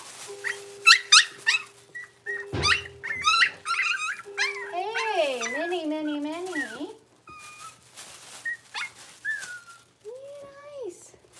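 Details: Six-week-old blenheim Cavalier King Charles Spaniel puppies from a litter of five in a home puppy pen: quick high squeaks and yips early on, then long wavering whines that rise and fall, with a steady low tone underneath at first.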